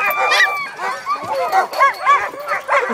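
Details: Group of dogs in a dog yard giving overlapping rising-and-falling yips and whining howls in quick bursts, while a man talks to them over the din.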